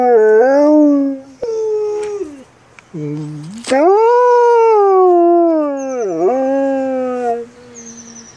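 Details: Female dog howling in a series of long, wavering cries, some rising then dipping, with short breaks between them; faint high chirping runs in the background.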